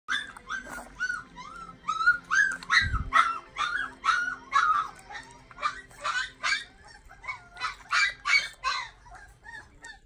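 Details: Very young Rottweiler puppy being bottle-fed goat milk, one of 11 pups hand-fed while their mother recovered from surgery: a rapid, continuous run of high, rising squeaks and whimpers, several per second, with steady background hum.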